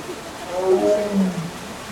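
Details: A captive tiger at a zoo exhibit near Melbourne, Australia, around midday in winter (July 2024), gives a low, moaning call that swells then slides downward over about 1.5 seconds, possibly awaiting food or transfer; a voice faintly heard.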